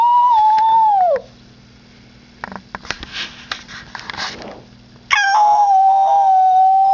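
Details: Max, a Husky mix, ends a falling howl, then goes quiet for several seconds with only faint clicks and shuffling. He starts a fresh, steady, level howl that carries on to the end.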